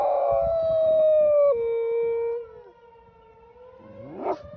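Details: A dog howls during a tornado siren test held on the first Tuesday of the month at 10 am. A long, slowly falling wail breaks downward midway and trails off, then a short rising yelp-like howl starts against the siren tone.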